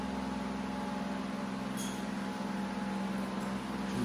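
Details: Indoor electrical hum with steady low tones and a faint clink, and no animal voice.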